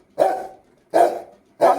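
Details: Angry Rottweiler barking: three loud, harsh barks, each trailing off, repeated about every 0.7 seconds, with no other sounds.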